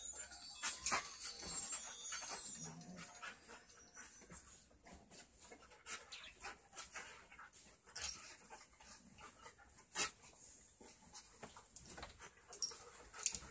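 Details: Australian Kelpie and German Shepherd mix dog panting in rapid, irregular breathy bursts, about ninety-seven per minute, with soft hissing noise throughout and a few sharper clicks.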